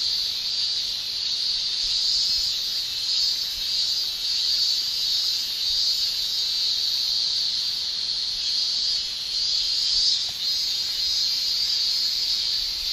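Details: Japanese summer cicadas, males producing tymbal song, fill the air with a continuous high-pitched shrill drone that rises and falls slightly in waves but never stops, no other clear sounds.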